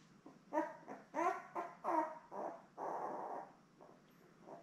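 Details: Labrador Retriever mother Belle and her seven newborn puppies, born May 24, 2021, on a live stream puppy cam; a run of squeaky, tonal whimpers and yips about once a second, then a longer rough squeal and a faint final whine.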